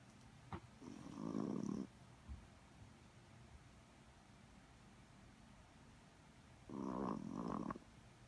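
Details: Chihuahua having a snooze indoors, snoring twice: each a buzzy, rattling snore of about a second, five seconds apart, with faint breathing and a soft click between.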